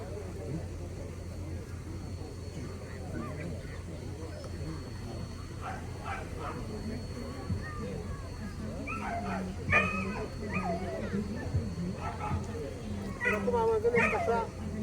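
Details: Romanian Carpathian Shepherd dog giving a series of short, harsh barks clustered in the second half, several in quick bursts rising in loudness toward the end, over a low steady hum with people talking in the background.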